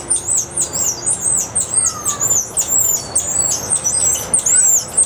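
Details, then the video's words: Golden-headed lion tamarin at Santa Ana Zoo, December 2012: rapid series of very high, thin chirps, about three per second, each a short sharp sweep, with a faint lower squeak near the middle. "Sounds of the Golden Headed Tamarin"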